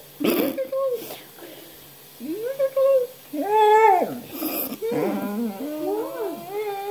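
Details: Basset Hound giving drawn-out whining howls, tonal notes that rise and fall in arcs, several short ones then longer wavering cries, in a small indoor room with a faint steady hum.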